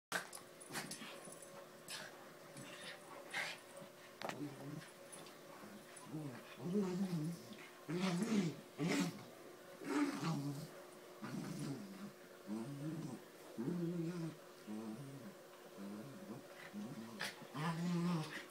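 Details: A small dog attacking a Doberman: rough, low growls and snarls come in short repeated bursts through most of the recording, with scuffling noise between them.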